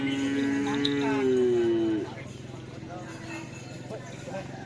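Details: Cattle at a karapan sapi bull race training session on the Asemanis field in Pamekasan, preparing for an event after Ramadan; one long, steady, low moo of about two seconds that sags slightly at its end, over a constant background hum and faint voices.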